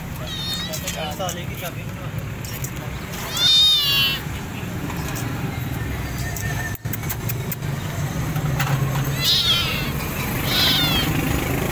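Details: A hungry stray kitten, burnt and wounded with a hurt mouth, found starving and being rescued: several high, wavering meows, the loudest near four seconds, over steady low engine rumble and traffic noise, with speech in the background.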